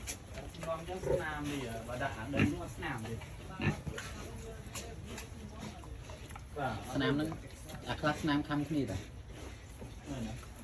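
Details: Family-raised farm pigs kept for sale, grunting and squealing in short rough bursts, some with rising harmonic tones, scattered through the pen amid human voices and background hum.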